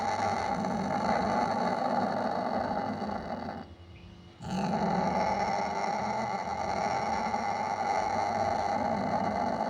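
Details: Sumatran leopard cat (kucing kuwuk), Prionailurus bengalensis sumatranus, growling in a continuous rough, rumbling stream that drops out briefly around the four-second mark before resuming just as harsh.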